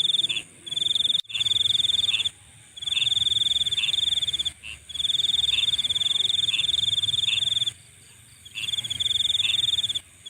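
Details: Insects at night give bursts of high pulsing trill separated by silent breaks, with short chirps from another caller dotted through each burst.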